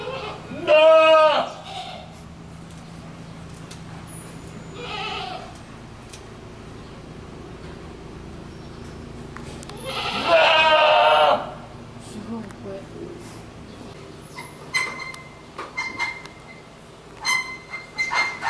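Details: Goat bleating several times: a sharp bleat at the start, a softer one near five seconds, and a long loud wavering bleat around ten seconds, with clicks, knocks and faint voices between.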